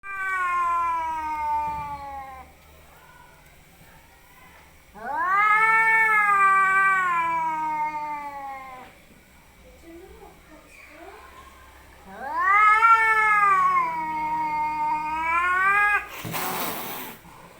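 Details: Cats fighting: long wailing yowls with rich harmonics, each rising then slowly falling over three to four seconds, three drawn-out bouts with quieter grumbling between, and a sharp hiss burst at the end.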